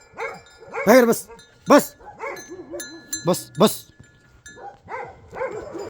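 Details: Bhote Kukur, the Nepali Himalayan sheepdog, in Nepal, giving a series of short, harsh barks, some rough and broken, in bursts across six seconds, with a human voice speaking nearby.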